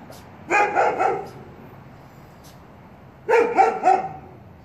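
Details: A big dog barks and frightens puppies. A quick run of three to four harmonic barks is followed by a pause of about two seconds, then a second burst of three barks.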